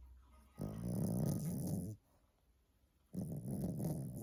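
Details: A sleeping dog snoring: low, rough, rumbling snores lasting over a second each, separated by a quiet pause of about a second, two snores heard in a quiet indoor setting.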